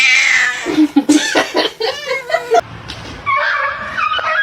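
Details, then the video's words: Cat heard in a funny home compilation, giving loud strained yowls and shorter harsh meows amid choppy edits, with people's voices and laughter around it. "cats meowing"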